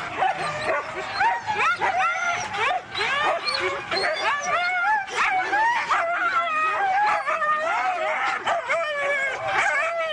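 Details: Several Siberian huskies at a race event in East Anglia keep up a steady overlapping racket of yelping barks, whimpers and wavering howl-like cries, many dogs calling at once without pause.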